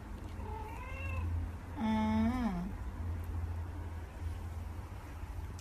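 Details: Cats chatting indoors; a short rising meow followed by a longer, louder wavering meow that dips at its end, over a steady low hum.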